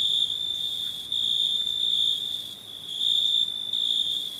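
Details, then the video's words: Crickets chirping at night in a constant high-pitched ringing trill with slow swells in loudness and a brief dip near the middle. "Night ambience cricket sounds"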